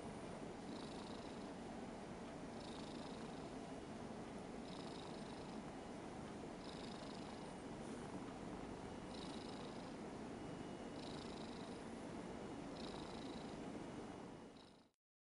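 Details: A six-year-old Ragdoll cat purrs steadily while being stroked by a boy, a deep continuous rumble with a soft, even pulse.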